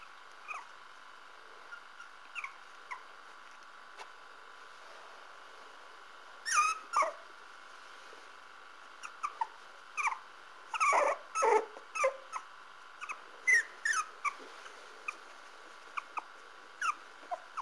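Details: Parson Russell Terrier puppies give short, high, scattered squeaks and thin whines, some in quick clusters around the middle, with soft rustling and patter between them over a steady low hum.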